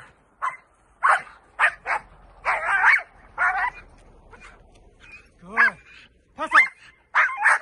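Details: Dutch Shepherd barking during training: a run of short, sharp, mid-pitched barks in irregular bursts, roughly ten over eight seconds, some doubled in quick pairs, with quiet gaps between.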